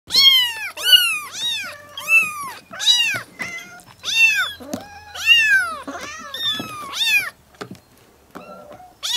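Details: Several kittens meow repeatedly in high, arching mews, their voices overlapping in quick succession.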